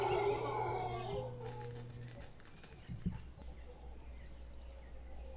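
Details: Large troop of howler monkeys in a tree in Guanacaste, a deep rough roar with layered harmonics for just over a second, then fading into a low rumble, with faint high bird chirps above.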